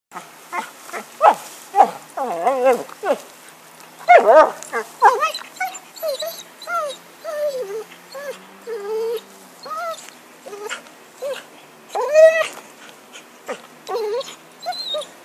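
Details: A dog named Happy with a stick, filmed in 2012, gives a long run of high, wavering whines and yelps, some rising and falling in quick succession, with brief pauses between bursts and a quiet outdoor background.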